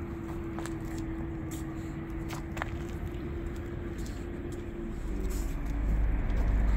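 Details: Low engine-like rumble with a steady humming tone and occasional clicks and taps, growing louder near the end, with no animal voice.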